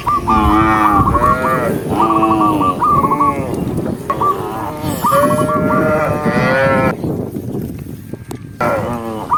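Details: Tame cows moving together down a green countryside hill while being herded, a rapid series of loud, wavering moos following one another closely, ending in a brief quieter stretch before one more call.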